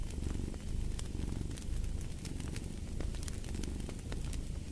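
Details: A domestic cat purrs steadily, a low continuous rumble that swells and fades in gentle waves about once a second, while the sharp snaps and crackles of a fireplace pop over it.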